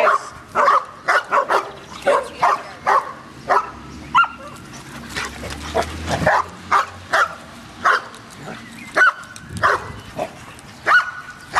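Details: Dogs barking at a dog park, a rapid string of loud sharp barks in bursts, with a low rumbling and a brief whine mixed in.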